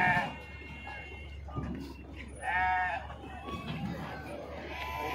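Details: At Pebbair sheep market, sheep being unloaded let out brief shaky bleats, one opening the recording and another midway, amid a low hum of voices and market bustle.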